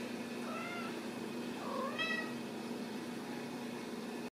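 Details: Ragdoll kittens from a central Kansas home cattery: a high, level mew followed by a rising then bright, harmonic-rich meow, heard over a steady low hum.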